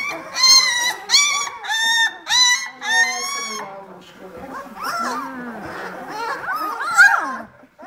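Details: Vizsla puppies, eighteen days old, from litter B at a Czech kennel, giving a run of five loud, evenly spaced wailing cries, then a softer jumble of mixed whines and squeaks.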